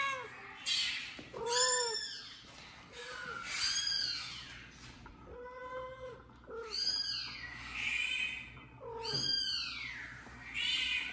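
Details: Recorded kitten mewing plays on a phone indoors while a mother cat, busy washing her kitten, checks where it comes from; clear rising-falling meows sound roughly every two to three seconds, mixed with softer low mews.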